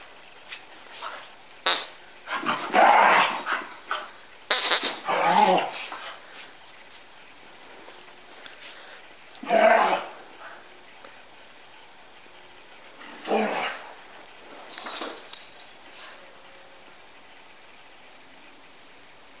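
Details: Two pet dogs, Chauncey the Cockapoo and Murphy, a Scottie mix, playing together indoors: rough growls and short barks come in loud bursts every few seconds, with quiet gaps between, and a person urging them on.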